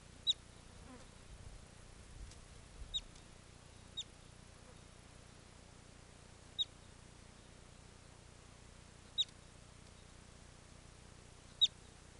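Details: Bobak marmot whistling in the Yadrinsky District of the Chuvash Republic, heard from cover in bushes: short, sharp, high whistles, seven in twelve seconds at uneven intervals, over a quiet background hiss.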